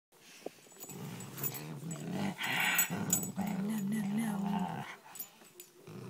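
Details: Dog 'talking' indoors: a run of low, wavering growl-moans rising and falling in pitch like speech, with short breaks between phrases and a brief higher noisy burst mid-way.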